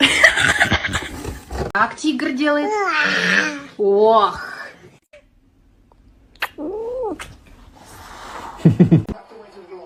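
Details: Kittens meowing indoors in a funny cat compilation. Drawn-out, arching meows rise and fall, several in a row, then a single clear meow after a pause. A human voice is heard at the start, with scattered knocks and rustles.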